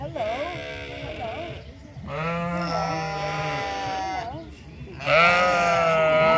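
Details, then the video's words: Sheep at the Toronto Islands Centre Zoo communicating with one another, giving drawn-out quavering bleats, one steady and a louder, higher one at the end, with overlapping voices and faint background murmur. "Sheep Chorus"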